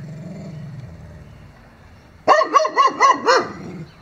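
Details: Neighbour's dogs barking in a quick burst of five sharp, harmonic barks about a quarter second apart, after a quiet stretch with low background hum.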